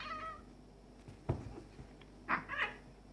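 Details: Two cats, a black-and-white male and a stray male kitten, play fighting indoors: a short harmonic cry at the start, a thump, then two brief strained yowls near the end.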